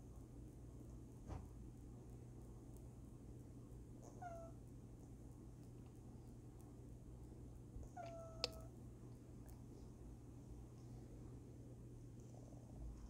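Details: Female house cat vocalizing in her sleep with two brief, faint chirping mews about four seconds apart. A few light clicks and a low constant hum are heard around them.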